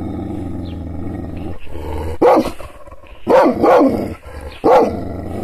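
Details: Angry Kangal, the Anatolian shepherd dog, provoked by hand gestures without being touched: a low rumbling growl for two seconds, then three loud harsh barks, one a doubled bark, spaced about a second apart.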